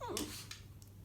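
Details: Pet dog named Panna greeting its owner, who has come home a little late, and answering when called; a brief whine slides downward at the start, then a voice repeats a greeting indoors.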